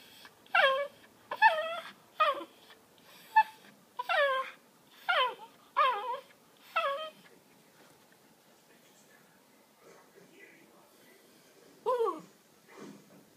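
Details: A pet Miniature Pinscher, Cooper, begging in the evening to play with his laser toy: about nine falling, whiny yips in quick succession, a brief lull, then two more.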